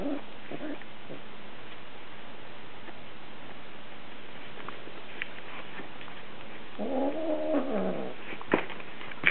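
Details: Stormy, a female lynx point Siamese cat in heat, tries to entice Dobby the ferret. She gives a few short cries at the start, then a long, wavering, drawn-out yowl near the end, followed by a sharp knock.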